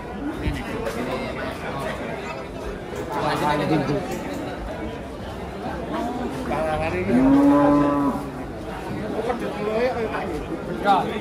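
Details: Cows unloaded from a truck and agitated, watched by a crowd; a few drawn-out lowing calls break through steady human chatter and talk, the loudest moo coming near the end.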